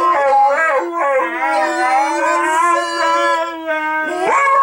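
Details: Siberian Huskies Bentley and Skylee join a woman in "Auld Lang Syne"; steady, drawn-out howls with rich overtones hold a level pitch, then a sharp rising howl cuts in near the end.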